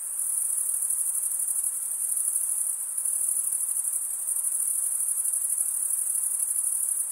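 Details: Crickets stridulating, males drawing a wing over the toothed vein of the other wing: continuous piercing high trill, finely pulsed, with a small dip in loudness near the middle and nothing else audible.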